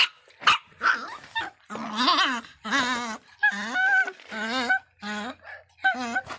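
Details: Angry little Miniature Pinscher barking in a steady series of shrill, whiny yaps, roughly two each second. Each yap has a wobbling, bending pitch, and a faint low hum sits underneath.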